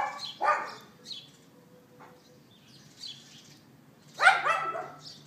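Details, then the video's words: A neighbour's dog left outside, filmed on an iPhone 4S on April 18th 2012 around 11:31 in the morning: a single sharp yapping bark, quiet gap, then another harsh bark near the end, with faint distant chirps between. "Dog Yapping"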